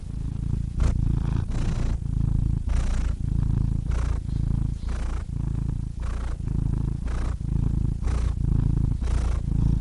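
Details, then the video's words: Loud close purr from a cat, a heavy low rumble broken into rhythmic breath cycles about every second, each inhale adding a soft airy hiss. "Cats Purring Soothing Sound Effects (Relaxing Cat Sounds)"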